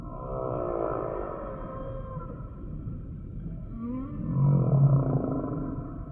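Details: Singing humpback whale sample: a drawn-out, layered moan fades, then a rising swoop leads into a louder, rumbling low groan near the end.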